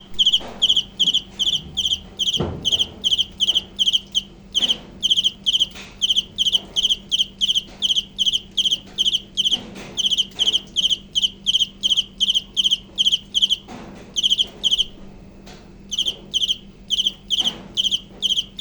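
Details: Cricket chirping steadily, high, sharp pulsed chirps in quick groups, roughly 160 per minute, with brief pauses near the middle and a few soft low thumps underneath.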